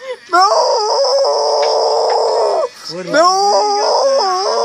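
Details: A dog gives two sustained howls. The first is long and wavering, then it breaks off. The second rises in short bent steps before it settles into a steady, wailing tone.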